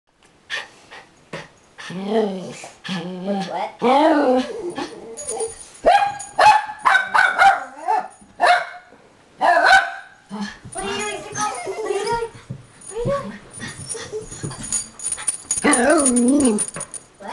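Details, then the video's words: Pickle, a blind female dog, barking at something she cannot see: a long run of harmonic, yelping barks, some rising and falling in a whine-like arc, others short and clipped. Gaps are brief and uneven, and a few cries are drawn out. "Pickle Barking"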